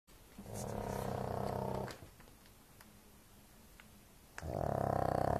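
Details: A pug snoring very loudly indoors: two long, rasping, rattling snores, each lasting over a second, separated by a quiet pause with faint breathing.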